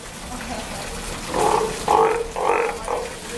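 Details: Two-month-old Steller sea lion pup, born 25 June 2020 at an aquarium in Ise, Japan, newly moved with its mother to the outdoor pool: a quiet start, then four loud harmonic bleats in quick succession with short gaps.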